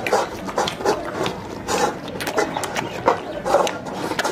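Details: A young African lion cub clinging to its milk bowl gives short, rough, mid-pitched grunting calls in quick succession.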